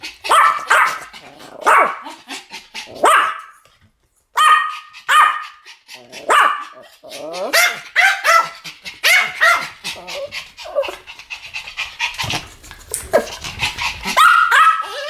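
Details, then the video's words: Two Pomeranian dogs barking as a duet, long stretch of high, piercing yaps, some ringing steadily, in irregular bursts with one brief silence. "ポメラニアン Pomeranian デュエット吠え 1000回 犬の鳴き声"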